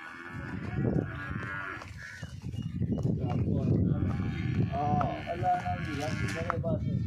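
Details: Nili-Ravi buffalo up for sale in Punjab, Pakistan, lowing in a rich, harmonic moo near the start. The call then fades under loud men's conversation and general crowd noise.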